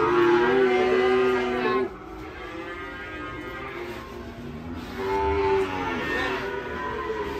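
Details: Cattle coming down from a truck and rampaging into a ditch; one loud moo lasting under two seconds, a quieter stretch, then a second moo near the end.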